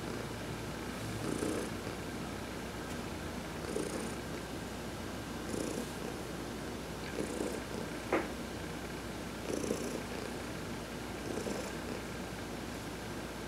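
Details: Adopted house cat receiving a massage while sunbathing, purring continuously; a low vibrating rumble rises and falls roughly every two seconds with faint airy breaths, one brief click near the middle, otherwise calm surroundings.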